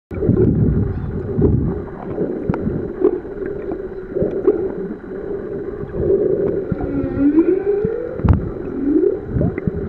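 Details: Humpback whale song recorded underwater during a swim on Ningaloo Reef, Australia: moaning tonal units with rising and falling sweeps around the middle pitch range, a clear upswept cry near the end, over constant bubbling water noise.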